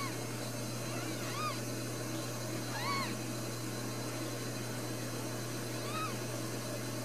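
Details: Newborn Ragdoll kittens, four of them, at a home cattery in central Kansas. Three thin, arched mews a second or more apart, quiet, over a persistent low hum.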